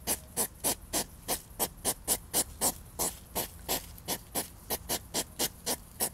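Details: Courting European hedgehogs in a scuffle: quick, loud huffing snorts nearly four per second, irregular spacing with brief pauses, breathy and noisy, over faint low background sound.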